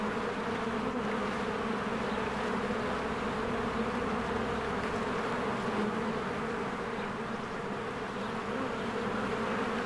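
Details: Honeybees in spring swarming in and out of their hive among blooming flowers, a dense steady buzzing hum with strong bands around the low and mid range, continuous without pause, a few faint higher bird chirps.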